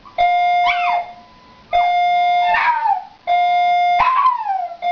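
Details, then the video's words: A young Shiba Inu puppy, not liking the fire alarm, howls along with its repeating beeps, its wavering voice sliding down over each beep. "Gus the Shiba Inu howls to the fire alarm"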